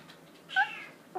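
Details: Kitten meowing because it wants to get into the dishwasher; one short, clear meow with stacked harmonics that dips slightly in pitch, followed by the start of a second call, in a quiet room.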